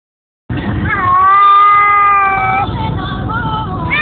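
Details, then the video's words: Domestic cat on a car ride to pick up a child from school, giving one long drawn-out harmonic meow that rises then holds steady for about two seconds before fading into softer wavering cries, over low engine rumble. "Cats hate car rides"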